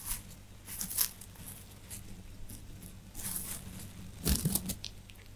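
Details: Small rabbits chewing hay indoors: dry crunching and tearing bursts, loudest near the first, third and fourth seconds, over a low steady room hum.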